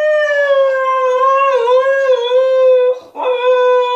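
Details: Female Husky Altezza, shut in her enclosure as punishment, demands to be let out with a long sustained howl that wavers gently, breaks briefly near the end, then resumes on the same steady pitch.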